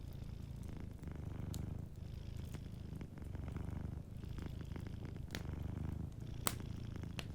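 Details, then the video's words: Soft purring from a sleeping cat near a crackling fireplace, a low rumble broken by short pauses roughly every second as it breathes, with occasional bright snaps of burning wood. "Warm Fireplace Ambience with a Sleeping Cat 🐱💤Fireplace & Soft Purring"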